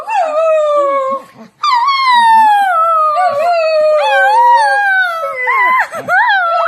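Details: Dog singing with long drawn-out howls, each tone sliding slowly downward with rich overtones, broken by a short pause after the first second, then wavering and rising again near the end.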